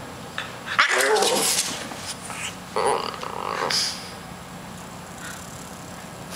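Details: Playful grumbles come from Ruby the French Bulldog in her chair: a rough burst around the first second, then a longer, wavering vocal stretch before she falls quiet.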